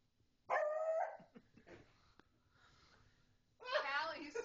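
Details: Beagle barking at home as a person keeps asking a pug to speak; one loud harmonic bark with a steady tone, followed by quiet handling noises, then a second loud, wavering bark or voice at the end.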